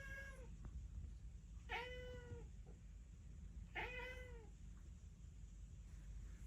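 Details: Cat calling to its pigeon friends with three drawn-out meows, each gently arched and sliding downward, spaced roughly two seconds apart above a constant low-pitched hum.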